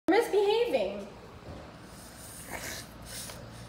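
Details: A female French Bulldog, kept outside temporarily during a house move, talks back to her owner in a brief, wavering, voice-like grumble that rises and falls in pitch.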